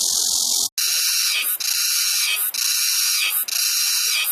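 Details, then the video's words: Cicada song among several cicada sound types: loud, harsh broadband buzzing in pulses about once a second, each surge briefly dipping before starting again. "매미 소리 종류"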